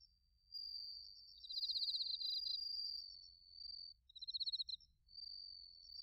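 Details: Bell crickets and other crickets in autumn, recorded in Narita, Chiba, Japan, on a TASCAM Portacapture X8: high, bright pulsed trills overlapping in long ringing phrases, a steady tone running through them, then a renewed burst of fast pulses.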